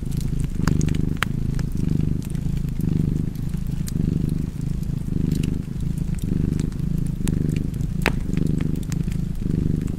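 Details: Cat purring beside a fireplace, a low steady rumble that swells and fades about once a second with each breath, roughly nine cycles, while sharp pops and snaps of crackling fire flick over it.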